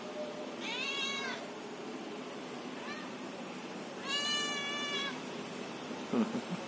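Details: Cat talking with two clear, bright meows about three seconds apart and a faint short one between them, then a brief knock near the end.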